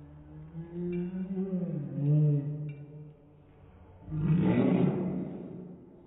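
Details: A male Dachshund's sneeze, slowed down, after he had been wagging his tail and barking: deep drawn-out groaning tones, then a broad breathy burst.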